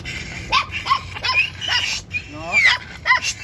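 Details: Jack Russell Terrier during a stud mating session gives short, high, rising yips and whines about every half second, mixed with people talking nearby.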